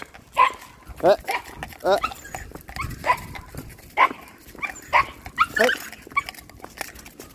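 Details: Excited Patterdale Terriers, described as fell dogs, give repeated sharp barks and yelps about once a second, with a person speaking calmly nearby.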